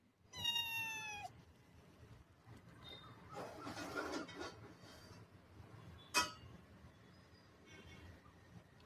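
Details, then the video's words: A domestic cat gives one clear, high meow near the start, followed by soft rustling, faint handling noises and a brief sharp click in a quiet room. "Cute kitty"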